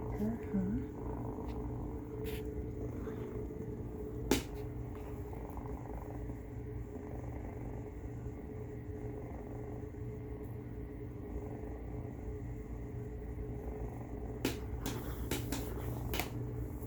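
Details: Domestic cat Rey making a noisy snore-purr as Finn observes: an even, gravelly low rumble running throughout, a short human voice at the start, and scattered taps and clicks above a constant room hum.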